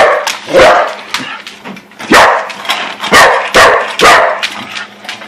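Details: Excited corgis barking at dinner time indoors, a routine three times a day; loud, harsh barks repeated about every half second to second, with a steady low hum underneath.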